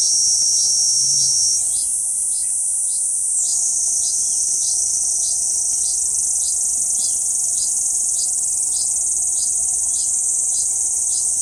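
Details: On a banyan trunk in central Okinawa, 11 June 2023, a Kuroiwa cicada sings: an unbroken shrill, hissing drone with steady clicking pulses about four per second. The tone rises briefly near the start, and a faint low thump is heard.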